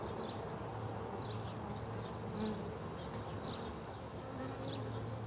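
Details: Honey bees flying in to the hive during a live hive check, a steady low hum of wings with faint higher chirpy flecks above it and no speech.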